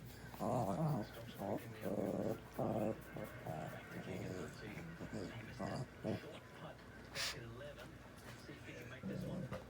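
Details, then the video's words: Labrador Retriever dog making drawn-out, groaning vocal sounds that resemble talking, in several rising and falling bursts of about a second each with short pauses, indoors, with a person's voice mixed in. "So funny sounds like Bandit is talking"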